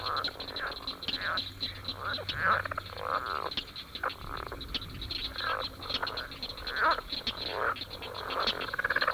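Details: Leopard frogs (Rana pipiens), with paired balloon-like vocal sacs on each side of the throat, give rattling, snore-like croaks and low chuckling grunts, overlapping in a mating chorus.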